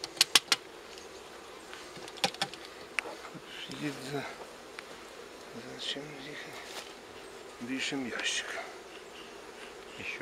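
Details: Swarm of wild honey bees near Kiev, Ukraine, handled during transfer of their forest nest into a hive. A dense buzzing fills the background, with sharp clicks at the start and men talking in Russian.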